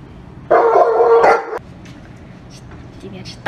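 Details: Giant Alaskan Malamute family at feeding time, eating together while being handed food indoors; one sustained, steady, harmonic whining note lasting about a second, then quiet room noise with faint human voices.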